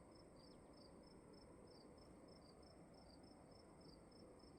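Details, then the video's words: Crickets chirping in a quiet room: short, high, even chirps repeated about three times a second, with two slightly different-pitched callers overlapping, above a steady low hiss and rumble of background noise. "Sound of emptiness and crickets in the room"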